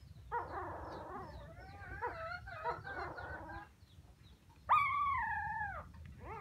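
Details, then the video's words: Puppies calling for their mother: a tangle of soft overlapping whimpers, then a loud, long falling squeal lasting about a second, followed by another cry starting at the end. "Why Puppies So Crying full Where is mommy?"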